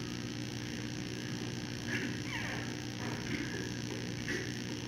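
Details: Giant panda cub with its mother Mei on a Thursday evening around 9:30pm, just nursed and having its face cleaned, throwing a small tantrum in her arms. It gives faint, high squeaky squeals with falling sweeps over a steady electrical hum.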